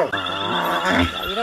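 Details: Hyenas fighting to the death, one killing another; a drawn-out, harmonic groaning call with a low base pitch that wavers and bends, a steady tonal hum running beneath it.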